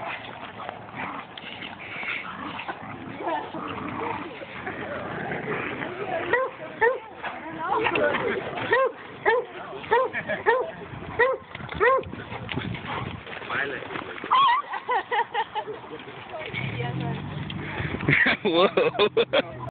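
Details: Landon, a pet Pointer, roughhousing with a larger Great Dane: bursts of short, rising yips and growly play vocalizations, repeated rapidly in runs, with human voices talking over much of the scene.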